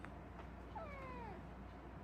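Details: Kitten relaxing beside its mother cat indoors, giving a single thin, high meow that slides downward over about half a second, over a steady low hum.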